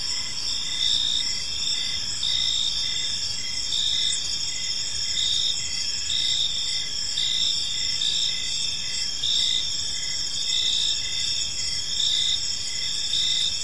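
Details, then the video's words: Crickets chirping in a peaceful park on an evening; steady high-pitched trilling bands overlaid with pulsed chirps repeating roughly twice a second, a continuous insect chorus with faint low background rumble. "Cricket Sounds in a Peaceful Park"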